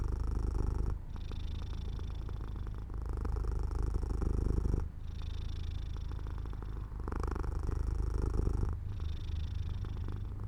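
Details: Domestic cat dozing off by an open window in the sun, purring: a deep continuous rumble alternating between louder and softer phases about every two seconds, like slow inhales and exhales.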